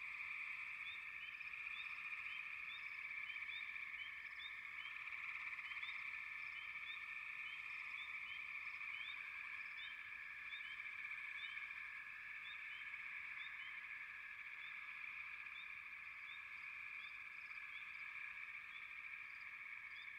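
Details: Many frogs call at once in a sustained, even trill lasting the whole stretch, with quick high chirps repeated several times a second over it and a faint wash of background hiss.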